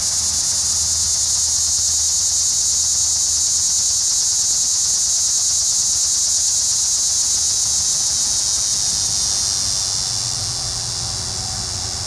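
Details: Neotibicen linnei calling in Cape May County, NJ, a continuous shrill, rapidly pulsed buzz holding steady for most of the stretch, then easing off slightly near the end; a faint low rumble underneath.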